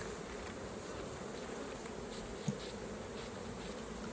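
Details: Steady, even drone of many honey bees around a hive being opened for honey harvesting, with one soft knock midway.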